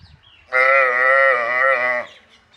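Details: A single steady, drawn-out bawl of about one and a half seconds from a water buffalo calf on a dairy farm. The tone is rich and nasal, with an even pitch that ends abruptly.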